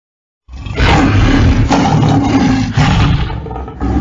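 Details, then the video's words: Lion roaring: one sustained, loud, rough and deep roar lasting about three and a half seconds, rasping and broadband with heavy low rumble, starting abruptly after a half-second of silence. "Rugissement lion et description 🦁 Le son d'un lion, bruit du lion 🦁"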